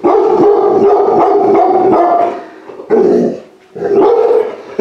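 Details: Rescued active large-breed puppy inside a house for the first time, giving a long sustained howling whine, then a brief pause and two further loud wailing bursts.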